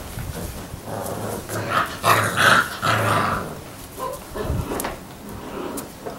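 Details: Six-week-old Labrador Retriever puppies give soft growls and whines in bursts, with rustling noises in between.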